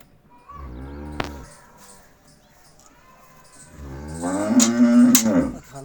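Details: Cholistani Jersey cross cow offered for sale, giving two drawn-out, low harmonic moos, the second louder and rougher, over a background of music.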